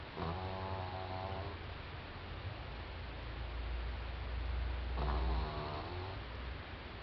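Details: Doudou, a French Bulldog puppy of four months, snores in its sleep: two harsh, rattling inhalations about five seconds apart, with a low rumble and steady hiss filling the gap.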